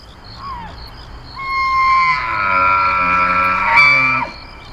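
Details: In the September rutting season, a bull elk bugles: a reedy whistle climbing steeply and holding as a strained, ringing scream over deeper harsh undertones, then breaking off with a falling note.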